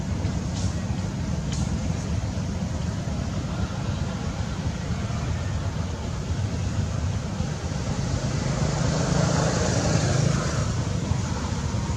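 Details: Steady low rumble of road traffic and engines continues throughout, with no animal calls heard.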